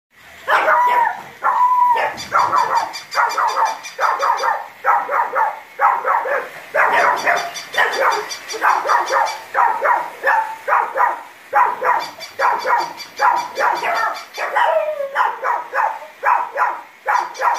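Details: Two Shih Tzus, a male and his sister, bark in sharp, high, rapid bursts at a battery-powered toy, which makes a faint mechanical whir.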